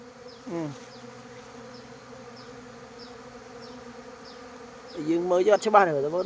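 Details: Before daybreak, hive bees set off for the day's work as dawn nears. A constant low buzzing drone holds steady for about five seconds, with faint high ticks above it, before a man's voice cuts in.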